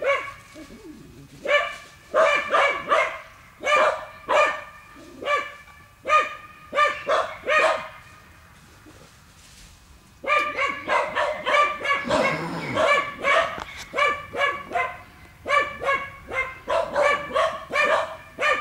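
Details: Two dogs working wild boar in a boar training pen, giving loud, rapid bursts of sharp barks in quick clusters, with a pause of near quiet midway before the excited barking resumes.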